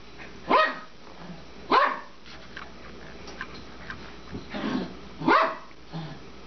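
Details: Twelve-year-old Papillon Suzy-Q at play, chasing the bone she throws as if it were running away; three sharp, high barks spaced about a second or more apart over quiet room noise, a soft rustle between them.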